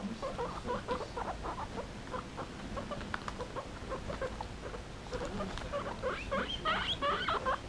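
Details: Two pet guinea pigs playing with an old slipper; dense rapid squeaks and chirps with harmonics, repeated several times a second throughout, over light rustling and patter.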